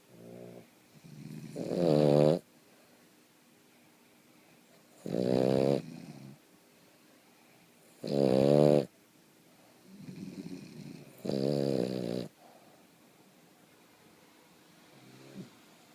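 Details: Boston Terrier Princess Cleo asleep and snoring, with four loud, buzzy, rattling breaths spaced roughly three seconds apart, each preceded by a fainter wheezy breath, then a quiet tail at the end.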